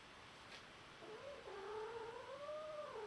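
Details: A domestic cat gives a single drawn-out, wavering meow lasting about two seconds. It begins after a second of quiet, dips and rises in pitch, and climbs toward the end, heard indoors against faint background hiss.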